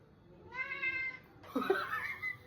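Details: Cat facing the camera indoors gives a clear, steady, harmonic-rich meow lasting about a second, followed by a burst of human laughter and voices.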